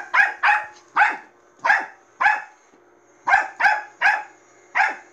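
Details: Bichon Frise named Manbok barking at a robot vacuum cleaner indoors: sharp, high yapping barks in uneven bursts, about ten over five seconds, with a faint steady whine of the machine beneath.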